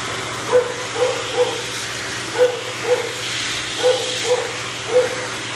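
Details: Matted male Shih Tzu that bites when in pain, held for drying; brief nasal whines come in loose pairs and singles, about eight in five seconds, set against the steady loud rush of a blower.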